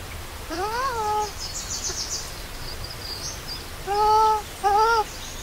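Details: Baby monkey named Lori, hungry for milk and left alone by its mother, crying loudly: one rising-then-falling harmonic wail, then two shorter arched cries near the end, over faint high chirping in the background.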